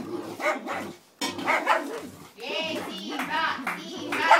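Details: Simba the St. Bernard and Romeo the Yorkshire Terrier tussling over a toy; rough growling barks and rising, whining yelps run almost without a break, overlapping with people talking.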